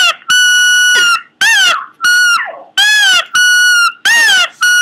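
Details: Pomeranian producing odd vocal noises: long, piercing, tonal squeals, alternating level held notes with bent, rising-then-falling cries, roughly five bursts in under five seconds with brief quiet gaps.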